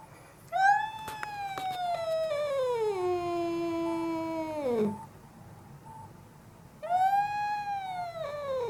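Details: Very angry cat screaming: one long yowl starting high, slowly sagging into a low held moan before dropping off, then a second rising wail begins after a short silence; faint beeping behind.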